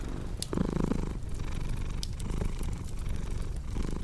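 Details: Relaxed cat purring in a deep, grainy rumble, with a brief louder breathy swell near the start, over scattered crackles from a burning fireplace.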